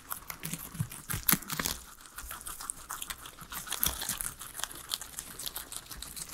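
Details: Three guinea pigs munching a salad of vegetables indoors: crisp bites, tearing and rapid crunchy chewing, with louder snaps near the start and no voices or music.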